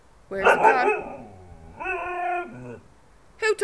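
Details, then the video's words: Pet Siberian husky, female, vocalizing at home while her owner talks to her about her ball: a drawn-out, wavering howl-like moan with rich harmonics, a shorter whining yowl, then a sharp yip; woman speaking between sounds. "talking siberian husky"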